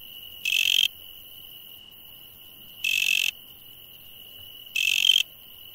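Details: Night insect sounds, with three rasping, broad buzzes about half a second each, spaced roughly two seconds apart, and a constant thin high tone running underneath throughout.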